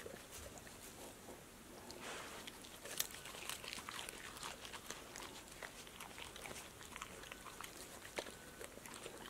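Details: A dog crunches hard snacks such as apple slices, lettuce, sunflower seeds, tomatoes and green beans, with sharp, irregular bites and wet mouth sounds in a quiet room.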